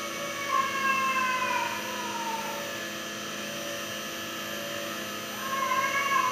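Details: Crying cat stuck inside a room on a South Korean farm; a long, sliding meow that falls in pitch near the start, a quiet stretch, then another wail rising at the end, steady mechanical hum throughout.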